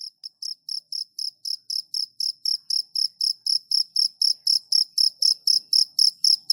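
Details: Cricket chirping in a steady, rapid series of short, high, pure-toned pulses, about four per second, growing slightly louder toward the end; no other sounds.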